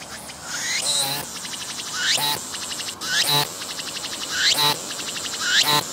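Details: Cicada singing on a tree, filmed at close range as it stays put, flies off and returns, its abdomen moving with the sound: loud buzzy pulsed phrases, each ending in a rising sweep, repeated roughly every 1.2 seconds over steady background hiss.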